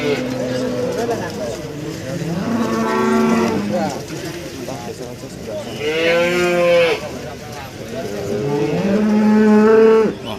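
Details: Moos from female breeding cattle at a crowded market in Nganjuk, East Java, Indonesia: deep, steady lows alternating with a higher arched bellow near the middle, then a final rising moo, over a constant hubbub.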